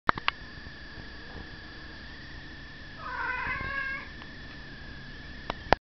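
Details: A house cat reacting to a fly gives one short, wavering, chirping call of about a second midway through, against a constant high electrical whine, with sharp clicks at the start and end.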